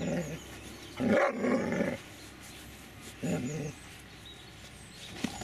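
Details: Dobermann named Magmar Von Der Burgstätte giving two loud, harsh bark bursts, the first about a second long and the second shorter, separated by a quiet pause, with faint background noise.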